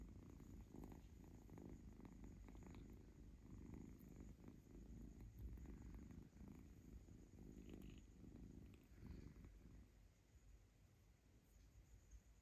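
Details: Kitten being petted and tummy-scratched indoors, playfully grabbing and gently biting the owner's fingers; continuous deep throbbing purr, loud and even for most of the clip, softening toward the end, with light rustling from the play.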